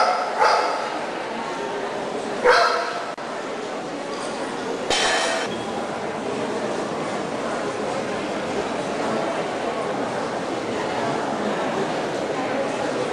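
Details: Golden retriever at the Trencin CACIB dog show, 24 January 2009, three sharp, loud barks spaced about two seconds apart in the first five seconds, then a steady hum of crowd chatter and hall noise.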